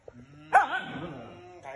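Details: Pet dog vocalizing when called for a bath: one loud, wavering, harmonic howl-like whine that rises sharply, then wobbles and slowly falls over about a second, with brief human sounds around it.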